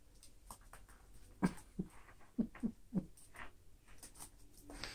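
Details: Female toy poodles indoors, two chocolate brown and one black named Abbey Ann, playing with their toys; a quick run of five short, low grunting yips over about a second and a half, with soft room noise between.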